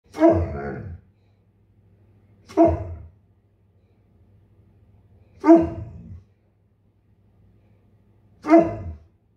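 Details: A male Bernese Mountain Dog, in the morning waiting impatiently for his breakfast to cool, gives deep, drawn-out barks, each about a second long, spaced a few seconds apart.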